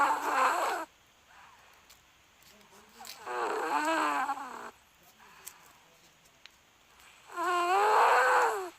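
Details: Dog vocalising in its sleep in a quiet room: three bursts of wobbling, moaning whimpers, the middle one rising and falling in pitch, with near silence between them.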